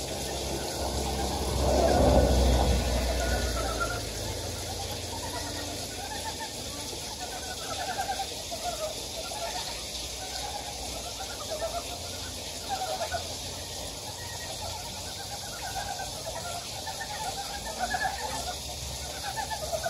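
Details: Several frogs in a Gyejoksan mountain valley, Daedeok-gu, Daejeon, give short pulsed croaks, overlapping and repeating quickly, after a brief loud low thump at the start; steady hissing water-like background throughout.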